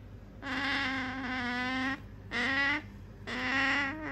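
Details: Sakura, a female otter kept as a pet, wants the thing her owner holds and voices three sustained, buzzy, evenly pitched whines, the first longest, the second shorter with a slight rise, the third trailing off.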